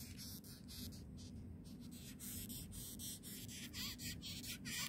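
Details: A large longhorn beetle in Israel gives rapid, scratchy squeaks in short bursts and hisses when touched, rising up as it squeaks loudly.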